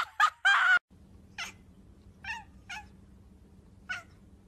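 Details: Indoor pet cat gives four short, high, bright meows spaced about a second apart, each rising then dropping quickly, after two loud, harsh, noisy bursts at the start; quiet room hum underneath.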